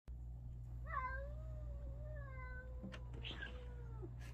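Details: A domestic cat yelling at another cat: one long, drawn-out meow with a quick rising start, a wavering steady middle and a falling end, over a steady low electrical hum, with soft clicks and a thump near the end.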